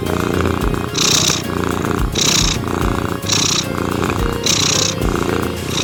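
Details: Domestic cat purring in a steady rhythmic cycle, each breath surge roughly once a second with a hissy rasp on top, layered over soft ambient music with sustained tones throughout.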